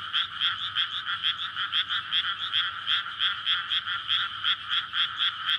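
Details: Frogs chorusing at night in May in a flooded rice paddy surrounded by housing, courting to lay eggs, recorded on a Sony PCM-D100; dense overlapping croaks pulse steadily, several per second, forming a continuous bright ringing wall of sound.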